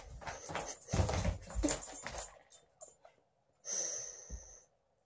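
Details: Sasha, a female Siberian Husky, playing with her food indoors: a couple of seconds of snuffling and rustling, then a short, nasal, whiny whimper that holds steady before fading.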